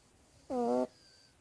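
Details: Sleeping cat snoring: a single short, steady, nasal hum with a buzzy, whistled tone lasting about a third of a second, otherwise near silence.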